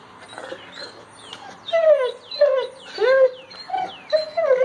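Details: Great Pyrenees reacting to its owner, who hurt a hip muscle and walks on crutches, which the dog dislikes: a series of high, wavering whines, some bending down and others rising, grouped into bursts in the second half.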